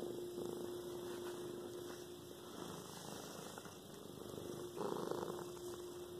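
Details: Domestic cat purring: a continuous low, rough rumbling throb that swells and fades with each breath, over a steady electrical hum, with a slightly louder, brighter burst near the five-second mark.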